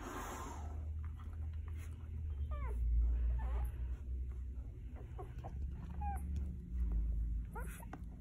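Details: Golden Retriever puppies one day old, from Quinn's litter, indoors; several short high squeaks and whines with bending, hooked pitch come in scattered bursts over a loud low rumble of background noise.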